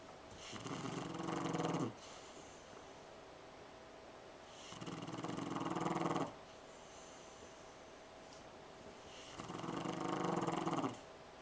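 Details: Sleeping French Bulldog snoring on a couch indoors: three long, rattling, fluttery snores, each about one and a half seconds, coming roughly every four and a half seconds with quiet breathing gaps between them in a small room.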